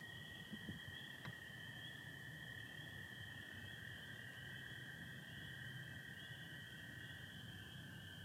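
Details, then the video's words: Massed spring peepers on a spring night in Michigan, 24 April 2025, partly overcast with stars: constant high ringing from many callers, over a lower, sustained American toad trill, with one brief click near the start. "Sounds of spring peepers and american toads"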